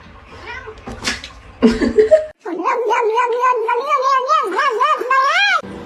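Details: Domestic cat letting out a long, drawn-out wavering yowl lasting about three seconds, its pitch rising and falling in waves and ending on an upward swoop, preceded by a brief burst of human voices.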